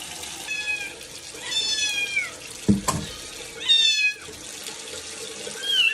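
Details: Kittens meowing at their first bath: four thin, wavering cries, the longest sliding downward, with a knock midway and steady running water underneath.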